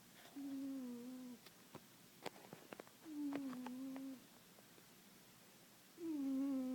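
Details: A sleeping cat named Puma, sound asleep on an organic chemistry book, snores indoors: long, even, whistle-like tones, each lasting about a second and returning roughly every three seconds, with faint soft clicks in the quiet gaps.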